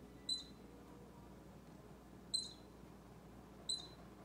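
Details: High, sharp squeaks of a baby squirrel that Bushy the orange cat has crept close to; three brief chirps about two seconds, then 1.4 seconds, apart over quiet hum.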